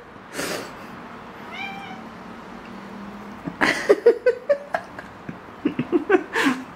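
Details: Cat with foxtail grass gives a soft, faint rising meow. After a quiet stretch comes a quick series of short, clipped chirping meows. Rustling bursts are heard at the start and end.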